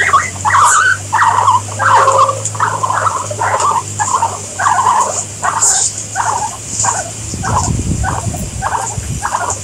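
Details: Several guinea pigs calling in a steady series of short squeaky notes, about one every second at a rate near 88 a minute, with a low hum underneath and a soft rustle near the end.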